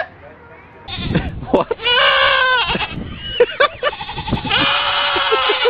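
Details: Several goats of different breeds, noted for human-like screams and yells; loud, harmonic, human-sounding screams with a long held yell from about two seconds, short broken cries between, and another sustained scream near the end.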